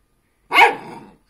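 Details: Puppy arguing back with a single strong, hoarse bark that drops into a rough, fading growl, with silence before and after.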